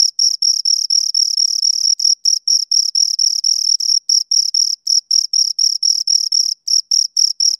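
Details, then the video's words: Two crickets chirping close up, a continuous run of short high-pitched pulses packed into quick bursts, about four per second with small gaps, a strong band with a fainter higher overtone, no other sounds. "Two Crickets Chirp Sounds for Two Hours Right on Your Ears"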